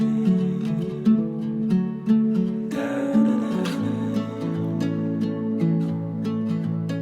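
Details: Soft acoustic guitar music with gently plucked strings; no animal sounds are heard.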